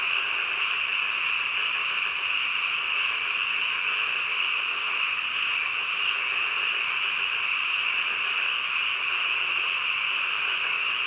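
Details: A nighttime chorus of croaking frogs, heard at midnight as a constant, high, rasping wash of overlapping calls without pauses or clear individual notes, level and unchanging over the whole stretch.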